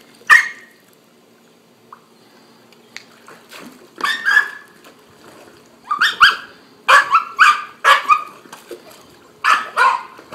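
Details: Three-month-old puppy, very excited about a ball and the water while swimming under supervision, gives bursts of high, sharp yelping barks. They come singly at first, then in quick clusters of two or three, with quiet gaps between.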